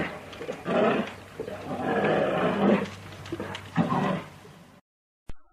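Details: American black bear (Ursus americanus), growling vocalization.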